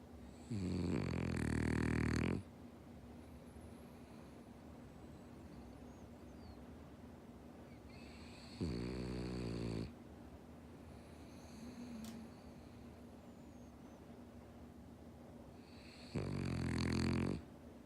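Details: A male French Bulldog named Omochi, born 13 September 2013, snores in his sleep: three loud, buzzing, rattly snores roughly every eight seconds, with soft low breathing between them.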